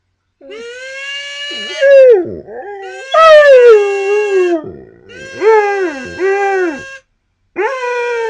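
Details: Pet dog howls to a person's kazoo playing; steady buzzy kazoo notes alternate with loud, swooping howls that rise sharply then fall, several dipping yelps in quick succession, a short pause, then another howl.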